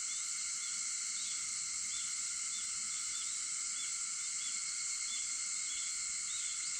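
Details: Dawn cicada sound from August 4 at 4:50, a constant high buzzing wall of tone. Small faint chirps recur about every half second above it.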